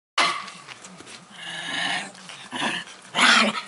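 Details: Pekingese growling at a Bull Terrier that wants to play, showing no interest; a low rumbling snarl with harsh, noisy bursts that swell and fade, the loudest burst near the end, indoors.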